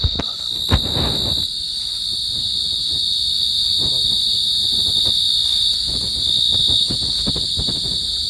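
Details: Pacific field cricket (Teleogryllus oceanicus) keeps up an unbroken high, ringing trill. Handling noises and a loud knock come early, and scattered low clicks and rustles are heard underneath.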